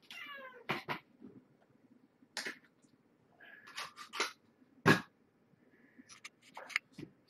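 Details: Evening dinnertime with mother cat Marge and her five kittens, born November 22nd, 2014, at Purrfect Pals. One descending, harmonic meow opens, then sharp clicks and clatter from dishes and food, with faint further mews.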